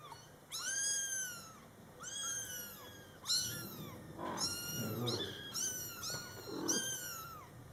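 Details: Young Scottish Fold kittens, born July 22, 2012, beside their mother cat, which talks to them: shrill, rising-then-falling mews repeated about every second, with a few softer, lower murmurs underneath midway.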